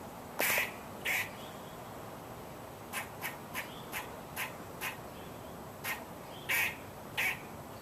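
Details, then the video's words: Squirrel calling: harsh, raspy, quack-like bursts, two louder ones near the start, then a run of shorter, quieter clipped notes at uneven intervals, closing with two more strong bursts, over a steady faint background hiss. "Squirrel Making Noise"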